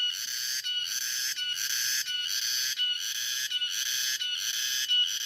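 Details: Cicadas drone in the afternoon, a dense, high-pitched, harsh metallic buzz with layered tones that swells and dips in quick, regular pulses, barely pausing before surging back at full strength.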